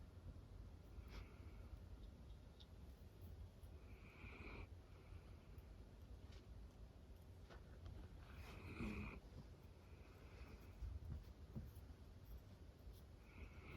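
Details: Sleeping on her owner's lap, Roro, a female cream Miniature Dachshund born 2010, snores quietly: repeated breathy, rasping snorts every three to four seconds over a low murmur, with no other noticeable sounds in the room.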